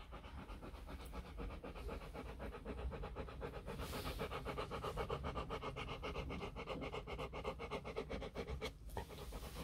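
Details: Four-day-old Rottweiler puppies from a litter sired by Vietnamese champion Loki Gervi out of Faye; rapid, breathy rhythmic pulses about four per second, steady throughout, over a low background hum.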